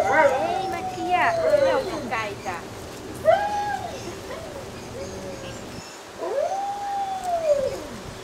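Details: Alaskan Malamute puppies, 26 days old, from Ciqala's litter at the Sakima Kiwidinok kennel, recorded 20 September 2009: several drawn-out arching howls, some wavering, with shorter yelps between and quiet gaps.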